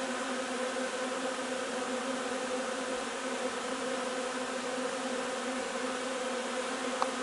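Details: Honey bee hive busy gathering linden nectar on 3 June: a steady, dense droning hum with stacked harmonic bands, unbroken throughout, plus a faint click near the end.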